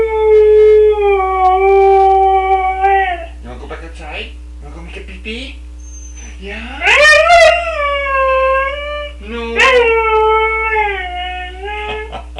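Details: Male Siberian Husky, 11 years old, a pet that vocalises a lot, howling; long, clear, wavering tones with rich overtones, broken by short talkative yips and whines before rising into another sustained howl, with a steady background hum.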